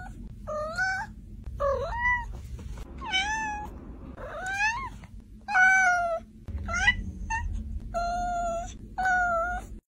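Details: A cat meowing repeatedly, about eight separate mews in ten seconds, each a short harmonic cry that rises then falls, some drawn out and wavering, with a steady low hum underneath.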